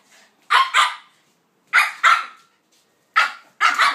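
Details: During play between a pitbull and a King Charles spaniel named Kaiser and Viki: sharp, high barks delivered in three quick doubles, each pair separated by about a second of silence.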